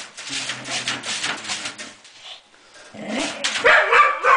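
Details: Dog giving a low, steady rumbling growl for about two seconds, then a short pause and a burst of louder, higher yelping and barking noises mixed with broadband hiss.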